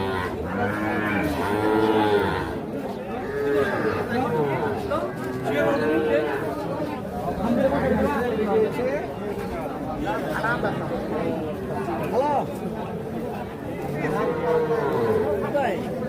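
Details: Young calves at Ambari cattle haat, Bangladesh, late March 2025: repeated short moos, several callers overlapping over sixteen seconds. Heavy crowd chatter and bargaining voices throughout.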